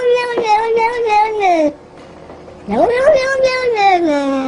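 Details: Domestic cat giving two long, loud, nasal meows separated by a second of quiet. The first holds steady and then sags, and the second swoops upward before levelling and dropping away.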